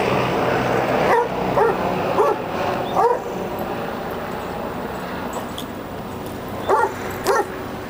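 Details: Basset Hounds Emma and Eddie rough-housing: short yipping barks, a cluster of about five in the first three seconds, then two more near the end, over a steady low machine hum.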